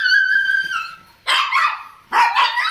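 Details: Laddu, a small pet Shih Tzu in an Indian home, gives a long tonal whine, then two sharp broadband barks.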